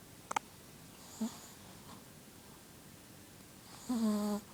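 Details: A female Shih Tzu, sleeping, gives one long, buzzy, low-pitched snore after a few faint breaths.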